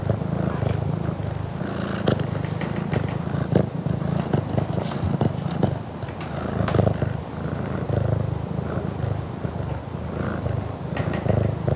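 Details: Close-up purring of a Burmese cat, recorded indoors at a home: a steady, low rumbling drone with soft pulsing, faint clicks and small rustles throughout.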